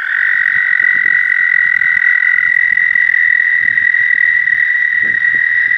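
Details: Mating call of the American toad, a long unbroken musical trill at a steady high pitch, with a second slightly lower trill overlapping for the first half, soft low rustles underneath.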